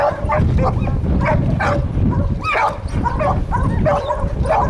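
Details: Catahoula dogs baying at a treed raccoon. Hoarse, ringing barks come in quick succession, roughly two to three a second, sharp and loud, with a brief lull midway before the barking resumes.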